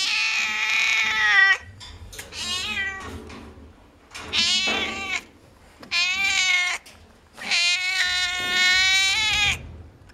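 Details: Noisy cats at a veterinary clinic give a run of five loud, harmonic meows over about ten seconds, some rising then falling, separated by brief quiet pauses.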